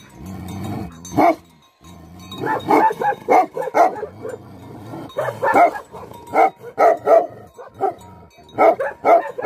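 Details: Barking of an angry Tibetan Mastiff, known locally as Bhote Kukur: loud, rough barks come in quick clusters of two to four, with short pauses and a low growl at the start.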